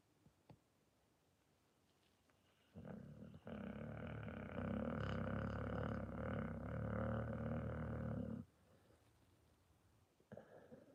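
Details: Deep, steady rattling snore from a Pit Bull that holds for over five seconds without break, then stops abruptly, with a brief restart near the end.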